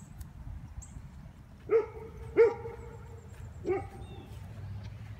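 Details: Female golden retriever that catches fish, out by the water in December: three short, tonal whining yips with clear harmonics, spaced about a second apart, over quiet outdoor background with a man talking nearby.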